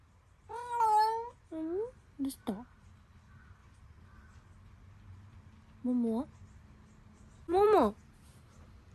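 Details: House cat meowing at home after being stepped on by a dog: a series of five or six harmonic meows, some falling and some rising, plus one sharp squeak, spaced irregularly over the clip against faint background hum.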